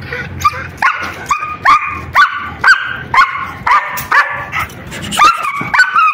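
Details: German Shepherd during an attack: sharp, harmonic barks with a rising yelp-like onset, fired roughly twice a second in an uneven series across the clip, and a little faint human speech underneath.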